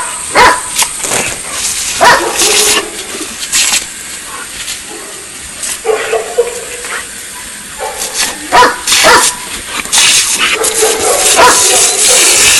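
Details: Argos, a three-year-old long-coated German Shepherd of DDR/Czech line, playing with a water hose: short harsh barks and whining yelps come in scattered bursts over a constant hiss of spraying water, with a voice at times.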